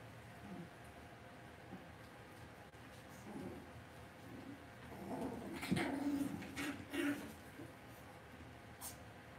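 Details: Cavalier King Charles Spaniel puppies in an indoor home puppy pen give soft, low whimpering and grunting sounds midway through, a short cluster of brief vocal bursts over a quiet room hum with faint background rustling.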